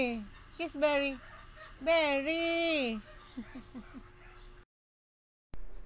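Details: Siberian Husky arguing with short whining yelps, then a long, wavering, harmonically rich howl-like note, followed by a run of soft quick yips before sudden silence.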